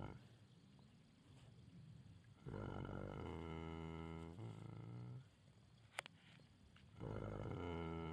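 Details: Dreaming Shire horse snoring, with long harsh low snores of about two seconds, from 2.4 to 5.2 seconds and again from 7 seconds, plus a short sharp click near 6 seconds.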